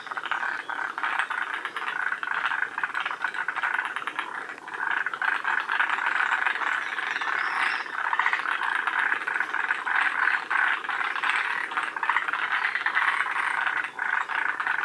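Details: Forest green tree frogs of the northern-limit population at Shiriya, Aomori, Japan, calling together. A steady, loud wall of grating, ratchet-like pulsing from many overlapping frogs continues without pause.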